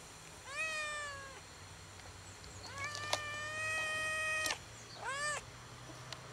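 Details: A fluffy, oddly coloured cat that lives alone sits on a gas enclosure, waiting for someone to feed him. He gives three clear meows: two long, steady, slightly falling ones, then a short, sharply rising one, over a quiet background hiss.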